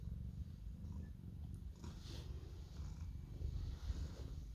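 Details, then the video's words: Orange domestic cat purring steadily while asking for cuddles; a continuous low rumbling purr fills the clip, with a brief rustle or snort near the two-second mark. "Cute orange cat makes raccoon noises and keeps asking for cuddles (LOTS OF PURRING)"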